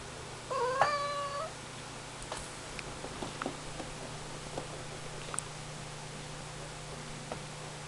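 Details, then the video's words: Ragdoll cat giving one brief, bright meow that rises then levels off, followed by faint clicks and rustling in a small indoor room with a constant low hum. "Ragdoll cat meowing"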